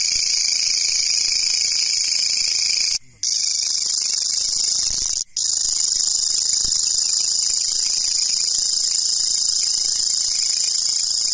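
A grasshopper's steady, high, hissing buzz runs on without pause, briefly cut twice.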